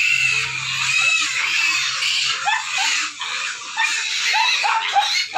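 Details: Pigs squealing from hunger at feeding time: piercing, wavering screams, some with short rising and falling whines, overlap constantly, with a faint low hum at the start.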